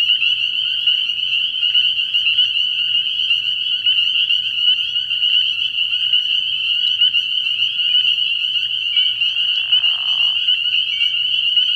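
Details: Spring peepers calling en masse from a frog pond at night early in the year, a constant high-pitched ringing of overlapping peeps, with a short lower rasping trill appearing near the end.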